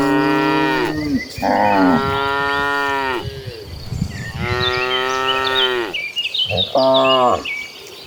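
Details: Dozens of tame cattle walking as a herd toward farm pasture, several animals mooing in overlapping long harmonic calls, some deep and some higher and strained, with chirping birds or insects audible behind them.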